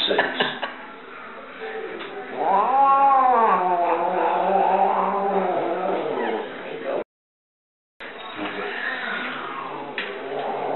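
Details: Angry Burmese cat at the vet giving a loud, sustained yowl that swoops up and down in pitch for several seconds, then quieter moaning after a short gap, with faint voices and handling noises.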